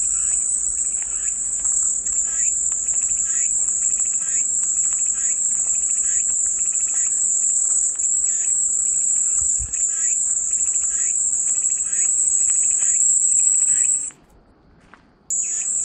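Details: A steady shrill cicada drone holds at high pitch for about fourteen seconds, drops out abruptly for roughly a second, then resumes. Soft, rhythmic chirping from other creatures repeats in the background.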